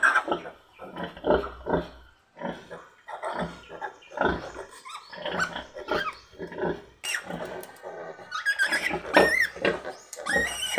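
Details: Pigs heard while a sow gives birth to ten piglets under a farmer's care: a rough series of irregular grunts and snorts, giving way to shrill, wavering high squeals over the last few seconds.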